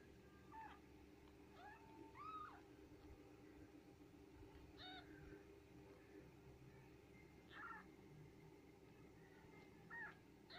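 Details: Newborn Japanese Bobtail kittens during their mother's birth: thin, high mews repeated every two to three seconds, some rising then falling, over a steady low hum.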